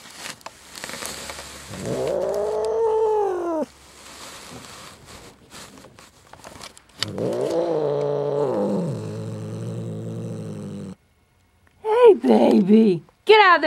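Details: Domestic cat named Jinxie, hiding under a chair and being pulled out, gives long drawn-out rising-and-falling yowls over a low rumbling growl, two sustained bouts, then sharper, higher wails at the end; faint background music.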